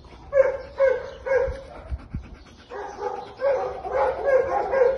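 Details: American Pit Bull Terrier named Finn, awaiting adoption on 28 March 2022, on a warm day: three sharp barks, a short pause with a few thumps, then a denser burst of overlapping yappy barks.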